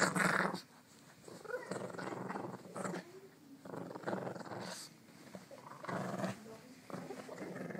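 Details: Pet dog growling during morning play, short low rumbling growls in bursts with pauses between them, mixed with human speech and household noise.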